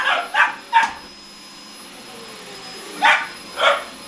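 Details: Pair of 17-week-old Boxer puppies reacting to a hoover; three quick high barks at the start, a quiet gap, then two more barks near the end.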